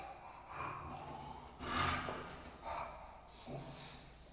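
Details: Bulldog worked up on a walk, giving short breathy snorts about once a second, each a broad rasping burst, with one louder huff in the middle and quieter wheezing between.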